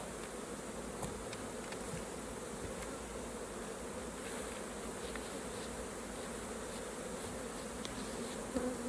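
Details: Many honey bees buzz around a hive while raw honey is being harvested, extracted and filtered. A continuous, even drone of wingbeats stays level throughout, broken only by a few faint taps and clicks.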